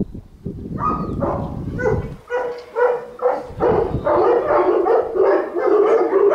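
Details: Presa Canario Zeus de Ironbull barking at Presa Canario event no. 7 in Madrid: a steady run of sharp, harmonic barks, about two per second, following a short noisy opening, with background murmur behind.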